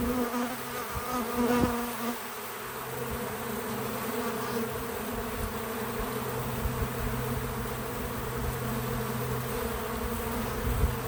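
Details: Bees at a feeder on a small farm outdoors, one hovering nearby with a clear, sustained low hum of steady pitch and overtones, a brief louder pass early on, other insects droning softly behind.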